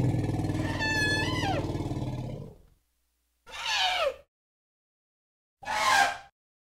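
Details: Elephant calling: a long, deep, harmonic rumbling roar lasting over two seconds, with high tones bending up and down through it, followed after a pause by two short, loud, brassy trumpet-like blasts.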